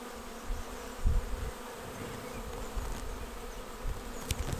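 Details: Arriving honeybee swarm entering a bait hive box on 19 May; steady massed humming with a few close bees buzzing past loudly, plus faint clicks near the end.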